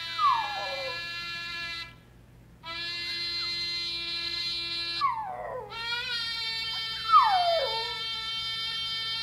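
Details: A six-month-old female Miniature Schnauzer, sitting on her owner's lap, howls in falling, wavering glides, "singing" along to long, steady trumpet notes from an online interactive page.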